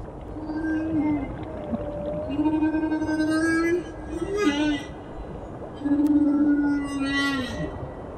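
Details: Humpback whale song at the Silver Bank, where about 3,000 humpbacks pass between December and April: only males sing, possibly to lure females. Long, mournful moaning tones swell, bend and fall away between pauses, carrying over 30 km.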